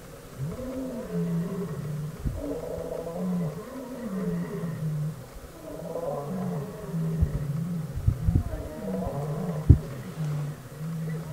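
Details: Lions of a pride in Kruger National Park, South Africa, roaring on a road after a rare white lion joins them; a series of deep, rumbling moans, each swelling then fading, with a few sharp knocks and clicks in between.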